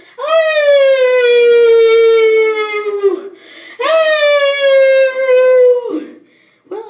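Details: A dog howling along to a music box: two long, steady, slightly falling howls of about three seconds each, separated by a short pause, with a brief start of a third at the end.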